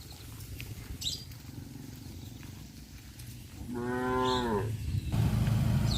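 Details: Village cows roaming at leisure: one clear harmonic moo that rises and falls over about a second, with a low rumble beneath and louder low noise toward the end.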